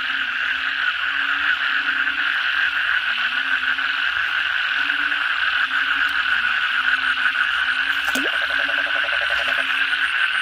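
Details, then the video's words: Crowd of frogs (kodok bangkong) at night following heavy rain: a thick, continuous, buzzing chorus with an unbroken low wavering drone and one brief sharp crack partway through. "suara kodok bangkong pada gacor setelah hujan lebat malam hari"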